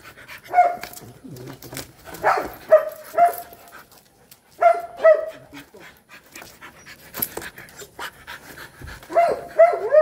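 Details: Rottweiler while mating: clusters of two or three quick whimpering whines separated by pauses of a few seconds, with light rustling and clicks in the background.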